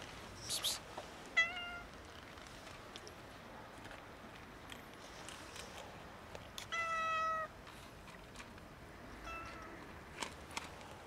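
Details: Domestic cats asking for food give a few flat, harmonic meows spaced several seconds apart, one longer and steadier, against quiet background noise with occasional clicks. The group is a kitten and two cats.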